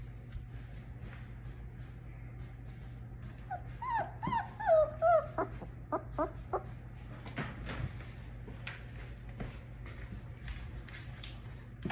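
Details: A 3-week-old German Shepherd puppy, a singleton, whimpers with high, wavering squeaks that rise and fall, then short yips.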